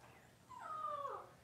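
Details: Cavalier King Charles Spaniel puppy, six weeks old, in its pen on deworming and nail-trimming day, gives a thin, drawn-out whine that holds steady and then slides downward, heard over a quiet room hum.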